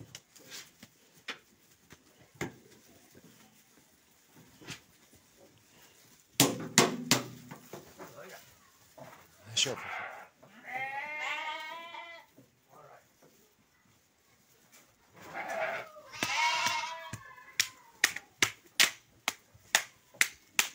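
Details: Male sheep among 23 rams offered for sale in Guelma: two long, quavering bleats with a wavering, stacked tone, separated by a short pause, amid sharp repeated clicking and tapping and brief human speech.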